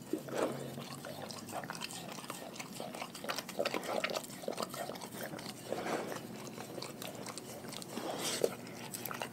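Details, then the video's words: Dogs from a pack eating their raw food diet: sharp, irregular crunches and wet chewing clicks, with louder bites bunched near the start, middle and end. "Dogs Eating Raw Food"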